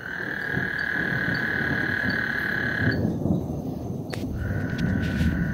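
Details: ['Frogs trilling on Lake Houston as a thunderstorm approaches: a buzzy trill stops, then resumes a second later, under heavy deep rumbling from thunder and wind.']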